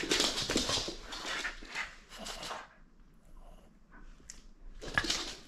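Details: Playful French Bulldog holding on to a toy it will not surrender, giving harsh, breathy snorts and huffs in bursts, then a short quiet pause before another loud snort.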